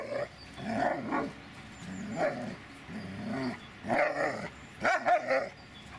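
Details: Repeated loud barks from the Dobermann Magmar Von Der Burgstätte, about six or seven rough, gruff barks in uneven bursts over six seconds, some with a growling edge, and a faint hum underneath.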